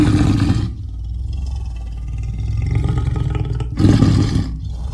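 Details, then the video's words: Leopard giving a deep, throaty rumbling growl, low and engine-like, with a loud opening burst, a long steady drone, then a second strong surge near the end. "The sound of the leopard is like a large displacement engine"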